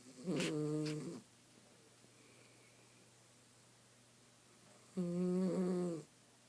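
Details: Snores from a female miniature schnauzer asleep during a nap at home: a pair of buzzy, droning breaths about a second long, separated by nearly four seconds of near silence in a small room.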